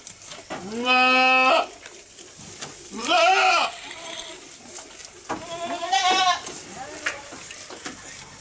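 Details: A goat, filmed close up while eating, gives three wavering, nasal bleats at roughly one, three and six seconds, each rich in stacked overtones, with quieter stretches of soft clicks and rustling between them.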